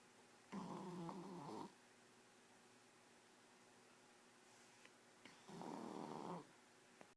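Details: Shar Pei dog snoring indoors: two rough, low, drawn-out snores, each about a second long and roughly five seconds apart, with near silence between them.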